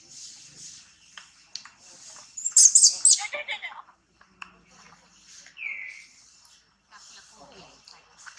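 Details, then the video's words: Baby monkey Tobais crying in a tantrum as its mother Toma handles it roughly: a brief, piercing, high squealing burst near the middle, then quiet with scattered faint chirps and a single descending whistle. "Crazy mom Toma abuse on baby Tobais cry tantrum"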